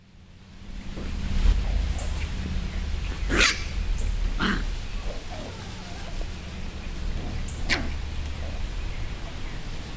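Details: Seven-week-old Chihuahua-Beagle mix rescue puppies, Tessa's litter at Lonely Hearts Animal Rescue, give three short, sharp yelps spaced a few seconds apart over a steady low hum.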